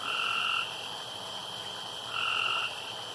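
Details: Frog calling around a pond at night: two drawn-out, even tonal notes about half a second long, roughly 1.5 seconds apart, over a steady high-pitched insect-like hum.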